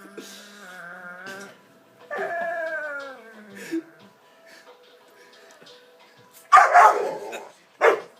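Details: Dog making odd sounds likened to a possessed dog. Drawn-out harmonic moans, one sliding steadily downward, then quiet, then two loud harsh noisy bursts near the end.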